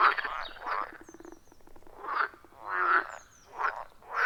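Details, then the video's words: Several frogs calling at a wild forest pond: rapid pulsed croaking followed by separate swelling croaks roughly every second, with faint high chirps in the background. "30 Minutes of Frog Sounds at a Forest Pond"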